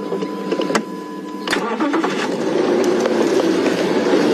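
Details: A vehicle engine starts and idles with mechanical clicks and knocks, and no animal call stands out.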